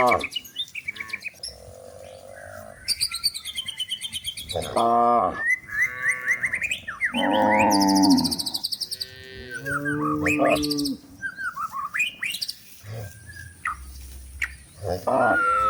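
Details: Cows in a forest looking for food while being herded to the livestock pen: loud drawn-out moos, one swelling strongly around the middle, mixed with frequent high bird chirps and twittering.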